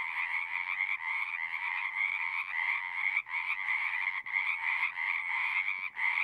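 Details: A dense chorus of many frogs singing together: a steady, trilling drone of overlapping croaks with a higher and a lower buzzy band, broken by brief dips roughly every second or so, with no other sounds.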